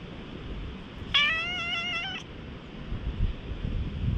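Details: Stray cat in a high-elevation park, slightly wary but approaching to rub its head and be petted, filmed on a GoPro HERO8: one clear, drawn-out meow of about a second, steady then gently falling, over a constant outdoor hiss.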